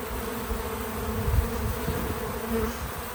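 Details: Bees visiting a feeder outdoors on a small farm, a low steady drone of many wings with slight swells and a brief louder pass near the middle; no music or voices.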